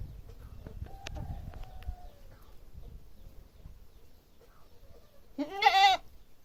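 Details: Goat giving a single loud, quavering bleat near the end, after several seconds of low rumbling background noise and faint clicks.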